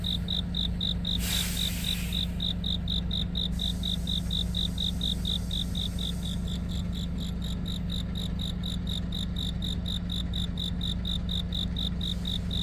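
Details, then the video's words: Cricket calling on a deepening autumn night. A steady run of shrill, high chirps comes about three to four times a second. Beneath it is a constant low engine-like hum, and a brief rustling burst near the start. "깊어가는 가을밤 🦗귀뚜라미🦗 우는소리"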